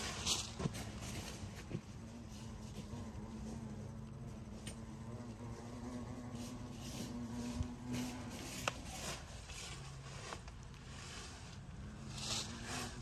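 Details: Wasps at a disturbed nest hidden in a tree trunk used as a plant-pot stand, early November, Le Vaudreuil, France; steady low droning buzz of many insects with wingbeat hum bands, interrupted by scattered clicks and handling knocks.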